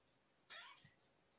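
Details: Kitten mew from Champagne or Mimosa, believed sister kittens found by a roadside and brought to Purrfect Pals, recorded indoors on the evening of 2018-01-07: a single short, high mew with stacked harmonics, then a soft thump in a quiet room.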